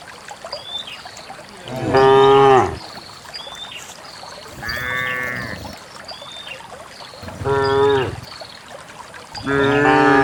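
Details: Dozens of cows descending a green hillside into a valley of fresh grass: four separate moos spread across about ten seconds, some near and loud, one fainter, with light bird chirps between.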